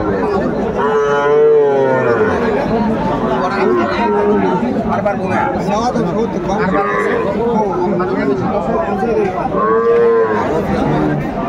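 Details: Sahiwal bull calves at a cattle market in Joypurhat, Bangladesh, 17 August 2024; drawn-out harmonic moos rise and fall near the start and again near the end, half-buried under steady crowd chatter and bargaining voices.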